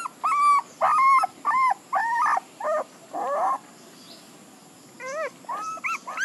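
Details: Puppies whimpering in a run of high, tonal whines, each arching up then sliding down. Calls come in quick bursts about once a second, with a brief quiet gap before softer rising yelps resume.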